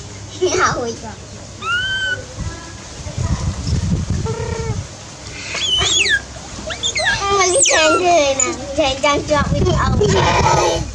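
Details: Baby monkey named Dewdew crying loudly for its busy mother: repeated high, arching wails and sharp squeals, some rising steeply, in bursts across the recording, with low rumbling background noise between calls.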